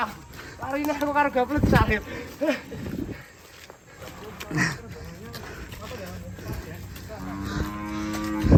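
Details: Runaway cattle at Setia Farm: two short, even-pitched moos, one near the start and one near the end, with voices, laughter and rustling noise in between.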